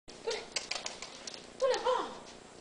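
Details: An 11-week-old male Clumber Spaniel puppy gives a short mid-pitched whimper, then a longer wavering whine, between sharp tapping and scuffling noises indoors.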